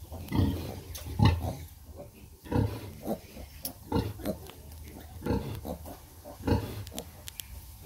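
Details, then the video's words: Sow breastfeeding her piglets, giving frequent low, rough grunts in quick irregular succession, several a second at times, some louder and deeper than others, over a low background hum. "Pig breastfed piglets"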